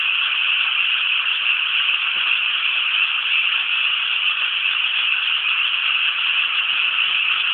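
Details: Frogs massed in the rice fields around Inasato, Nagano City, Japan, produce a constant, high rattling chorus of overlapping croaks without pause.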